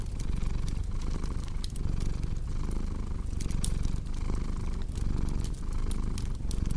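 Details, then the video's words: Low rumbling cat purr, rising and falling rhythmically with the breath, set against the crisp pops of a crackling fireplace. "Purring Cat with Cozy Crackling Fireplace Sound"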